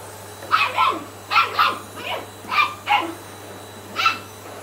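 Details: Sian, a 10-week-old Shetland Sheepdog puppy, meeting a Hoover it does not like: about six high, yappy barks over under five seconds, some doubled, with short gaps between, over a steady low electrical hum indoors.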